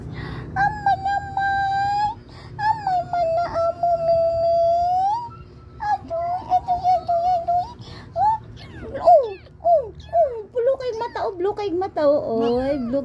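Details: Little kittens, three of them, utter long steady meows that later break into short wavering, falling cries, while a person chatters in Cebuano over the last seconds.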